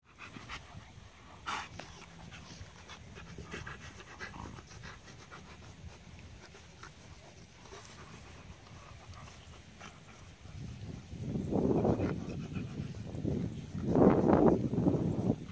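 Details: Rottweiler play: a 5.5-month-old female puppy wrestles roughly with a 1.5-year-old male on her sixth day in the home, giving rough, rumbling growls in short bursts after a quiet stretch; the male has had little contact with other dogs.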